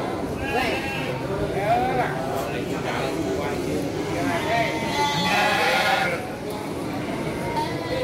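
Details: Garut sheep ewes at the Andir sheep market in Garut, Indonesia, on 5/4/2021, bleating in quavering, nasal cries that rise and fall, several overlapping, amid constant chatter of people and crowd noise.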